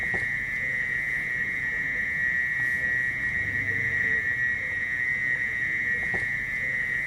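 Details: Mole cricket heard in village forest, producing a long shrill, steady unbroken buzzing tone held throughout, over a dense background of rustling and faint noise.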